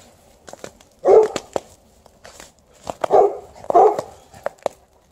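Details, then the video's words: Alaskan Malamute playing outdoors alongside a Golden Retriever, digging and rolling and refusing to come in; three loud, rough barks spaced irregularly across five seconds, with soft thumps and rustling between them. "Digging, rolling, barking, not coming in - Alaskan Malamute & Golden Retriever outside"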